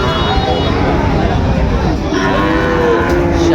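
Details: Sahiwal bull calves at the Raniganj cattle market in Dinajpur, Bangladesh, on 8 August 2024. A low, harmonic moo rises in the second half, partly buried under steady market crowd noise and voices.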